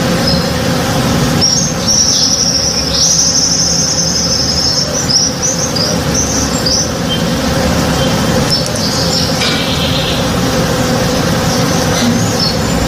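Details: Honey bees working in a blooming tree in a home backyard in the morning: a steady, dense droning hum with a low buzzing undertone, overlaid by high, sharp bird chirps and short twittering phrases.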